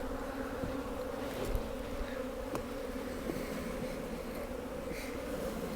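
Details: Western honey bees (Apis mellifera) fanning inside the hive in a steady low buzzing hum, reacting to an electronic smoker's smoke as with real smoke, checked after a week of hard freezes and windy weather.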